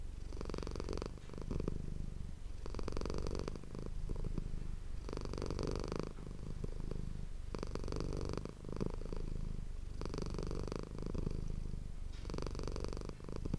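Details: Domestic cat named Manis purring close to an ASMR microphone indoors: a steady low rumble broken into long pulses, each breath cycle lasting about two seconds, loud and continuous throughout.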